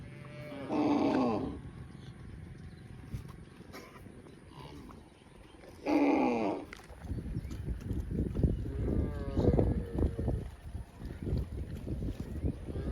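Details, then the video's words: Grazing cow in a field lets out two separate drawn-out moos about five seconds apart, each rich and harmonic with a falling end, followed by crunching, tearing grazing noises. "Cow mooing sounds & grazing in a field"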